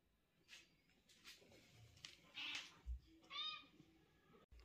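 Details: Talkative mother cat conversing with her cute kitten and owner: a few thin, high meows and chirps in quick succession, with soft thuds and rustling in a small room.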